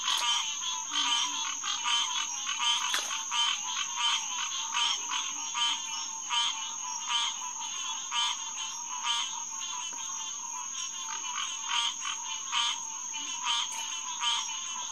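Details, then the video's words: Green tree frogs calling together at Headquarters Pond, SMNWR, 9 to 10 pm in early June 2021: bright, repeated quonk-like notes near eighty per minute, fairly regular, over a constant high hum and faint low croaks. "Green Tree Frog Chorus"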